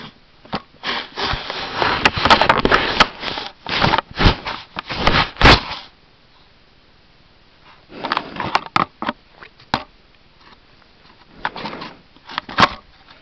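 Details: Wild American black bear up close at a trail camera in New Brunswick, Canada, sniffing loudly: rapid clusters of breathy, rough bursts for about six seconds, a quiet pause, then further shorter bouts of sniffing and scraping.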